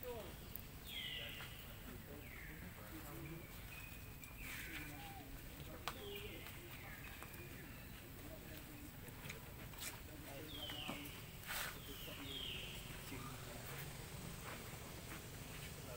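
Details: Baby monkey Lucie crying loudly after its mother rejected it from milk: high screams that slide down sharply, repeated in bursts every couple of seconds, with low rumbling background noise and faint clicks.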